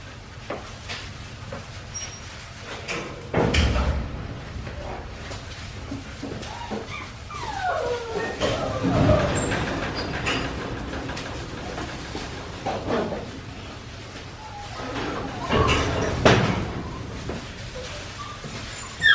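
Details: Four-week-five-day-old Australian Shepherd puppies from Winnie's litter, raised on a farm, give thin high whimpers that slide downward in short runs midway, set among heavy thumps, knocks and rustling handling noise.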